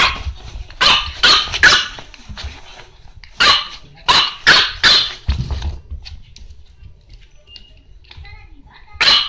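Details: French Bulldog pet dog: loud broadband barks in quick bursts, three in the first second and more around three to five seconds, with a final bark near the end, mixed with brief speech.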